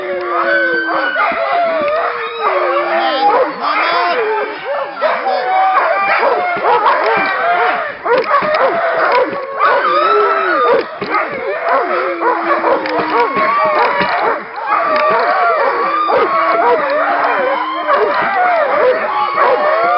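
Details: Group of Alaskan Malamutes at a working kennel in February 2012, howling together around a little run. A dense, continuous chorus of overlapping wavering howls and yips, with occasional human voices.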